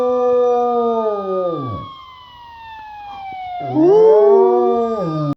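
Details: Cisco the Rottweiler howls with a siren sound effect after some prompting. One drawn-out note sags and fades, there is a pause under the gliding siren, then a second howl swells into an arch and falls away.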